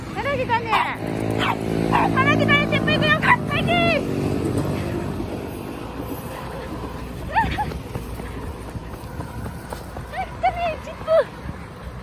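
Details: Chip, a six-year-old Jack Russell Terrier that loves the diesel trains of Kochi, gives a rapid run of high, harmonic yelping whines over the first four seconds, then scattered whines, amid people talking and rumbling train noise.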